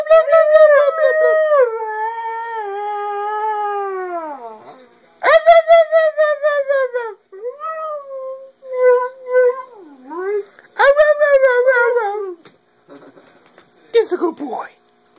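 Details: A part-husky howls at its owner in long, mournful tones that slide downward, then breaks into warbling, talkative yowls, its way of talking.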